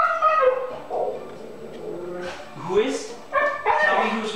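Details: A male Siberian Husky yowls and 'talks' in drawn-out, bending whines, excited about going for a walk or hike with another dog, as the owner asks him about it.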